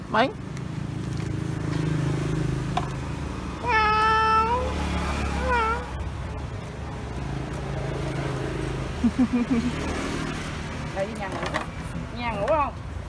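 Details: Domestic cat reacting to a stranger on first sight: one long, steady, clear meow, then a short wavering one, followed later by several brief, bending meows, over a low rumbling background with Vietnamese speech.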